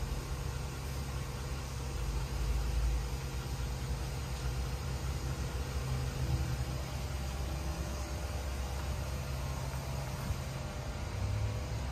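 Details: Steady low engine-like rumble and broadband hiss throughout, with no animal voice heard.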